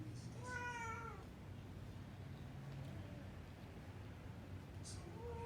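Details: A female Burmese cat, wanting to go and wake the baby and being called back, gives a drawn-out, slightly falling meow, and a second meow begins near the end.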